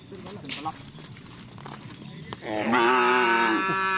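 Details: Madura bull racing (karapan sapi) cattle: a single loud, harmonic moo starts after a stretch of background noise and holds steady to the end, with faint voices before it.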